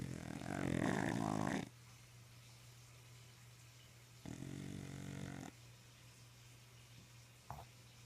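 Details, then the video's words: Sleeping English Bulldog snoring around the house: a loud, harsh, rattling snore, then a quieter buzzing snore a few seconds later, with a steady electrical hum underneath. "A Bulldog's Snore Compilation... Boss-Hogg the English Bulldog"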